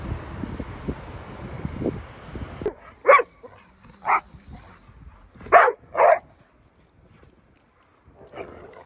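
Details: Pit Bull dog giving a series of short, separate barks spaced about a second apart, after a noisy opening stretch with low rumbling background sound; a softer bark closes the sequence.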